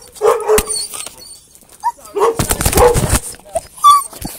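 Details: Excited Tamaskan dog greeting its owner after a weekend apart: short squeaky whimpers and yelps separated by brief pauses, with a burst of rustling and movement noise in the middle.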